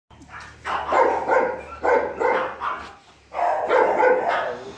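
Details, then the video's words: Golden Retriever puppy giving three bursts of short, rough barks and yips in quick clusters, about three per second, with quiet pauses between bursts. "golden Retriever puppy"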